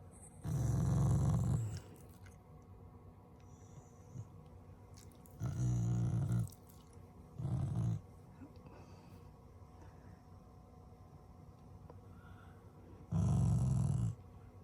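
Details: Shiba Inu, a loving family pet, growling as an expression of affection rather than anger: four low, rumbling growls of one to one and a half seconds each, separated by quiet stretches of several seconds.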